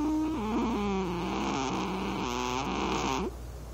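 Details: Pet cat named Robocop snoring in deep sleep on a lap in a dim room; a continuous whistling, wavering tone steps down and back up through each breath for over three seconds, then stops abruptly, leaving a low steady hum.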